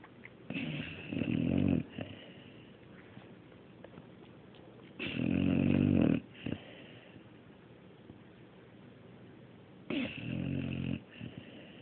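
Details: Dog named Mario asleep and snoring, each breath a raspy buzzing drone lasting about a second, repeating roughly every four to five seconds, softer breathy sounds in the gaps of a quiet room.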